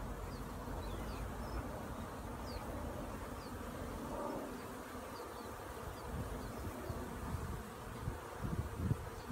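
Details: A steady, low droning hum of many honey bees in flight as they learn to fly, with faint high chirps in the background.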